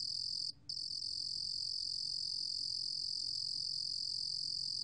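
A cricket sings a steady, high, shrill trill that breaks off once briefly.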